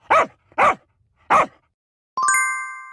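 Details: Dog barking three times in short, sharp bursts about half a second apart, followed by a bright ringing chime.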